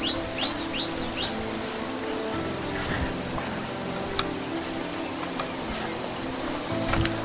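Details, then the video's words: Continuous high insect drone of crickets beside a village road approaching a big river in the Sundarbans, with a few short sweeping chirps early on and faint rustling and clicks below. "আওয়াজটা শুনুন ঝিঝি পোকার।"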